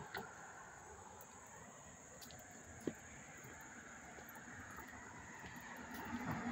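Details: Crickets chirping up close in Hastings-on-Hudson, New York, on August 13, 2024: a steady, high-pitched continuous trilling chorus under faint low traffic rumble, with one sharp knock near the third second.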